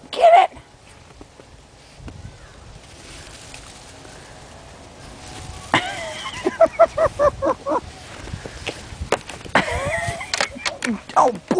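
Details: Snow play with Aggie, a Yorkie puppy, chasing something while being cheered on. Mostly quiet at first, then two short clusters of shrill repeated yaps, mixed with speech.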